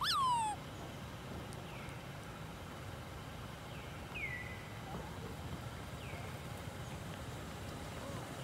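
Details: Baby monkey Lori, left alone by her mother Amari, crying: one loud, sharp squeal sliding downward at the very start, then a few faint, brief high chirps scattered over a low, steady background rumble.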